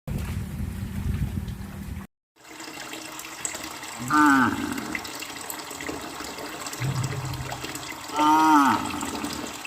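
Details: Traditional village livestock cattle on village streets on a farm, two short rising-falling moos with rich harmonics around four and eight seconds, a brief dropout near two seconds, and steady background noise with low rumble.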